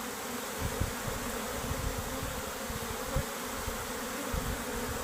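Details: Honey bees leaving their home hive: a continuous swarm buzz with a steady hum band, overlaid by scattered low rumbling thumps that pulse irregularly.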